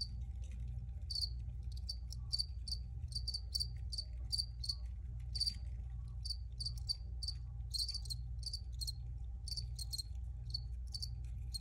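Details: Dense cricket chirping: rapid, sharp high chirps follow one another almost continuously, some doubled or tripled, above a constant deep background hum.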